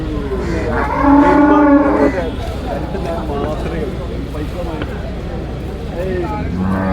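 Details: Young water buffalo calf at a busy livestock market where it is being sold; one drawn-out nasal bellow lasting about a second, set against a dense murmur of crowd voices and traffic.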